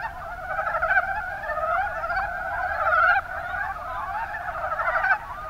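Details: Many mountain brown frogs in the Kuma basin of Kumamoto, Japan, croaking at once; overlapping low rattling calls blend into a steady pulsing chorus, with louder individual croaks standing out about every two seconds.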